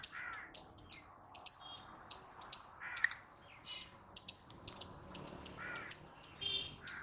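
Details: Rapid, shrill chipping from a squirrel, single and paired notes repeated roughly twice a second, over a light background hiss and scattered lower chirps.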